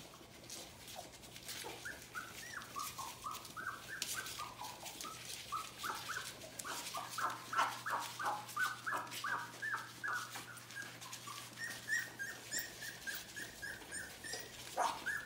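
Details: Fourteen puppies, three weeks old and from two litters, whine and squeak together at a kennel, short high yelps tumbling over each other nonstop with some rustling and a constant background hum.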